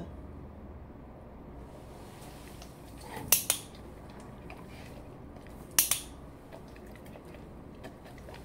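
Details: Quiet indoor room tone broken by two sharp, bright clicks a few seconds apart, with no animal voice.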